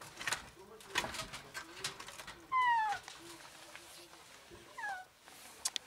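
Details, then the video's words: Female cat trapped in an alley and appearing sick, meowing for help. One clear, falling meow is followed by a fainter, shorter one, over soft background rustles and clicks. "Cat trapped in an alley desperately meows for help"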